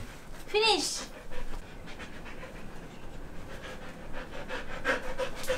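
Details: Female golden retriever excited by dog biscuits being unboxed gives a brief high whine that wavers, then pants steadily, while a person talks in the background.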